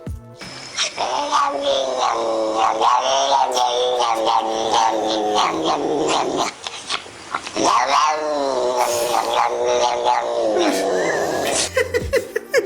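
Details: Domestic cat growling: a long, loud, continuous harmonic yowl with wavering, rising and dipping pitch, briefly broken near the middle, over a noisy background.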